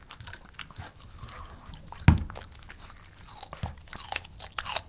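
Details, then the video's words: Cucumber crunched by Potato, a 5 kg female Shih Tzu aged five, indoors: one loud snapping bite at about two seconds, surrounded by softer moist chewing and a few late crisp bites. "오이 먹방 이팅사운드 (Cucumber Mukbang Eating Sound)"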